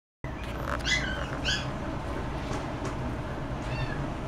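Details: Russian Blue cat giving short, high, bent meows at about one and two seconds, then a fainter one near the end, over a steady low room hum.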